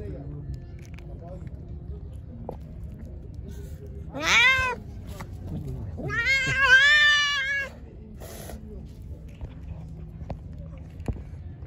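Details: Hungry, angry pregnant stray cat, fed and then attacking: two loud, drawn-out meows, a short wavering cry followed by a longer, strained, rising-and-falling wail, over quiet low background noise and faint outdoor sounds.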